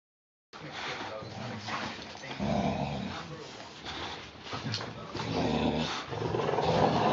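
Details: Puppies four weeks and four days old, with Mama Valentine and Hoyt, in an afternoon at home on March 18, 2013. Low rough growls and whimpery yelps come in bursts as they play, while people talk quietly nearby.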